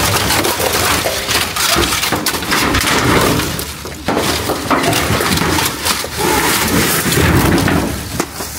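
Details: Loud continuous crackling and crunching noise, like breaking or handling material, fills the whole recording with no clear animal call.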